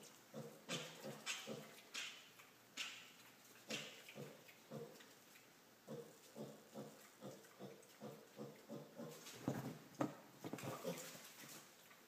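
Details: Five-week-old female piglet jumping onto furniture indoors to find a person, grunting in a steady rapid series of short low oinks, about two per second, with a few rougher louder grunts near the end.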